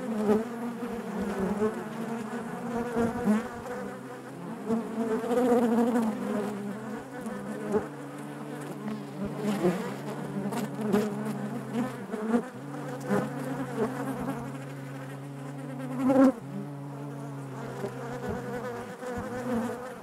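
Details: Steady buzzing of many honey bees inside their hive, a deep layered drone with shifting pitch bands, occasional louder close passes and a brief sharp surge late on.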